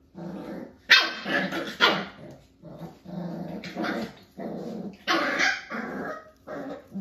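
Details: Five-week-old Jack-A-Bee (Beagle x Jack Russell) puppies from Star's litter playing with their cousin Ivory. Short, yappy barks and rough growls come in bursts about every second, with brief quiet gaps between them.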